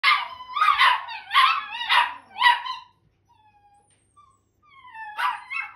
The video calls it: Italian Greyhound Puppies have sing off 🎶 ( sound on )